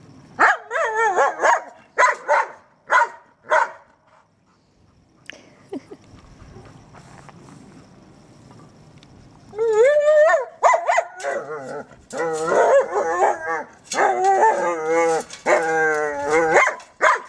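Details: German Shepherd playing with a trolley, opening with regular short barks about every half second, a quiet pause with rattling, then an excited run of warbling whines, yelps and barks.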